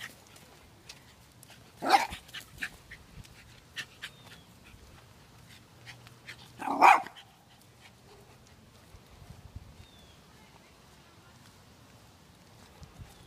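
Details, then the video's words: Two loud, separate barks about five seconds apart, from a dog in a fence-aggression setting with two dogs behind a neighbour's fence; quiet outdoor background between them. "Dog Aggression - Fence Aggression"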